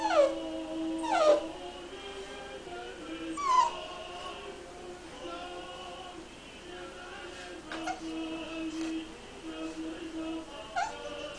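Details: Shar-Pei puppy, described as confused, crying: several high whining cries that slide steeply downward, mostly in the first four seconds, then fainter short whimpers, over steady tonal background music.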